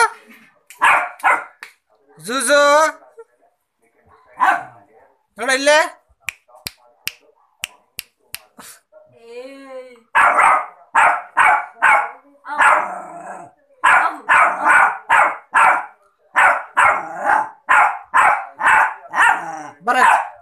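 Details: A 3-month-old Rottweiler puppy gives a rapid run of short, high, yappy barks after a person talks and snaps fingers.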